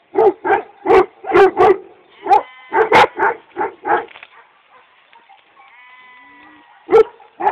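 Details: Kangal dogs from Çorum, Turkey, give bursts of loud, resonant barks, then a quieter stretch with drawn-out, bleat-like tonal calls before two final barks.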